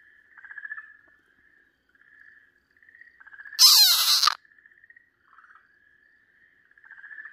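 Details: Screams of an Okinawa green tree frog seized by a Pryer's keelback snake, 4 March 2023: drawn-out buzzy wails in uneven bursts, cut midway by a loud harsh rushing noise lasting under a second.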